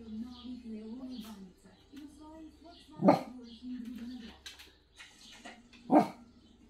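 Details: Dog gives two loud, sharp barks about three seconds apart over a steady, low, wavering whine-like hum.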